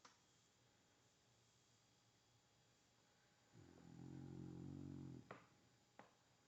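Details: A rescue dog named Kyzer snoring while asleep indoors: one low, rumbling, harmonic snore of about a second and a half, followed by a couple of faint clicks in an otherwise quiet room.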